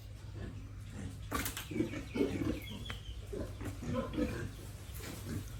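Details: Piglets and pigs raised on a family pig farm, giving a steady run of short, low grunts and snorts, several per second, with a few higher squeaky notes over a constant low mechanical hum.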